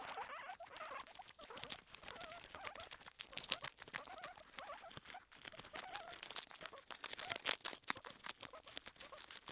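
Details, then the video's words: Kona and Suba, two guinea pigs, munching their food, giving crisp rapid crunches and crinkly rustles packed closely together, with a few soft squeaks between bites. "Crunch Crunch Crunch [KONA & SUBA GUINEA PIGS]"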